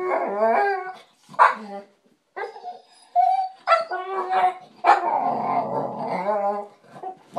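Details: American Bulldog named Bully whining for attention, a daily habit when ignored: a string of short, bending whines and yelps of varying pitch, broken by brief gaps, ending in a longer moaning whine.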